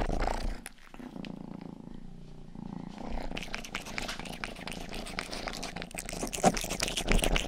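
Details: Domestic cat, the household's youngest, purring close to the microphone in an ASMR recording of ear licking. A continuous deep rumbling purr runs throughout, joined later by rapid wet licking clicks and rustles.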